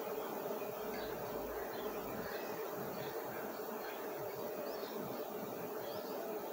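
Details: Honey bees at a big comb during honey harvesting, with about 5 kg of honey mentioned; a dense, unbroken droning hum holds steady throughout, with faint chirps above it.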